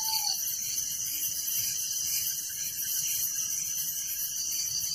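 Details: A nighttime cricket chorus in a village: high, unbroken chirping from many insects, steady in loudness, with a brief falling whine at the very start.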